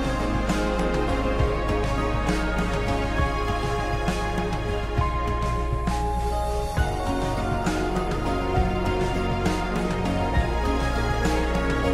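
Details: Loud, steady background music with a driving beat fills the whole recording; no animal sound is heard.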